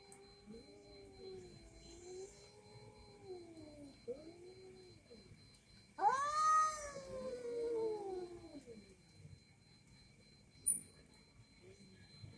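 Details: Two domestic cats, one orange, snarling at each other: low, wavering warbled moans rising and falling, then a sudden loud, piercing yowl that slides downward, followed by quieter murmuring and a brief sharp click.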